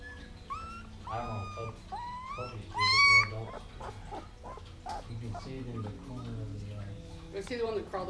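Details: Sixteen-day-old Siberian husky puppies vocalising while resting on their backs: sharp, bending squeals and thin whines cluster in the first three seconds, then quieter whimpers under a woman's soft speech.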